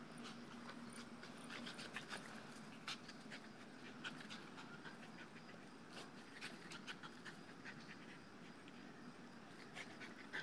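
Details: Two-year-old male Dogo Argentino, tired and happy after a few minutes of tugging on a ground-anchored tether tug toy; steady rapid breathy panting with sharper bursts, faint outdoor background hiss.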